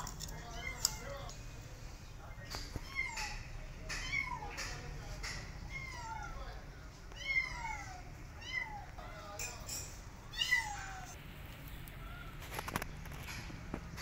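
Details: Cat family outside for the first time, mother with her kittens; a busy run of high, short, down-slurred mews, several overlapping callers, repeating roughly every second, with occasional clicks and a quiet background hiss.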